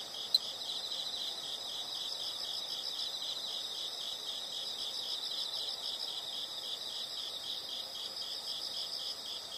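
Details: Insects in a natural setting: a soft, continuous, finely pulsed high trill running without a break, with one sharp click near the start over a low hiss.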